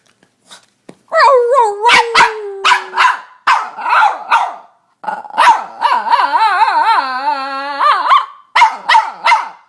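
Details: A female Boston Terrier kept as a pet, barking and squealing: irregular sharp barks mixed with whiny squeals, including a long wavering, trembling howl-like squeal in the middle, then more barks.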